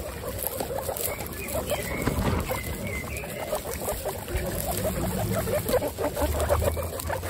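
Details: Twenty-six female pet guinea pigs kept together, producing a dense, steady chorus of low pulsed chattering with a few higher, rising squeaky notes woven through the first half.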